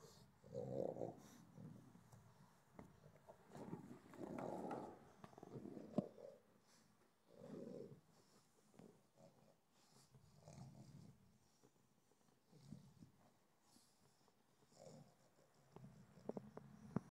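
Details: A relaxing pug snorts and grunts in low, rough bursts while resting.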